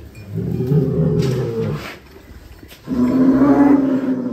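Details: Large cattle in a barn during a cattle contest: two low, drawn-out lowing calls, each about a second and a half long, separated by a short quiet gap.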